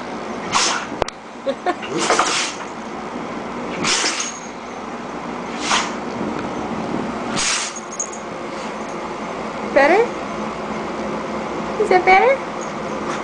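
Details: Jojo the female dog sneezes repeatedly in a sneeze attack, five or six sharp airy bursts every couple of seconds, followed by a person's soft spoken voice over a low steady hum.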